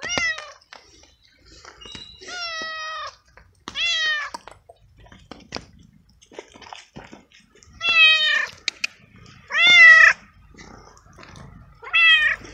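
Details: Stray male cat living alone in the street, wet from hours of rain, frightened and cold: loud harmonic meows, each rising then falling, repeated about every two seconds in six calls, with faint clicks between.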